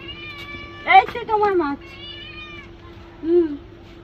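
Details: Pet cat in the bath giving a long, drawn-out meow that bends downward, then a shorter, softer meow after a pause. Faint voices and a constant low hum sit underneath.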